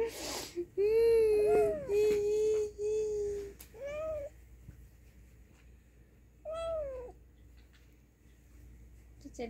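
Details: Angry kitten heard as a run of flat, steady meows followed by two rising-falling wails, with a person talking softly in the background indoors.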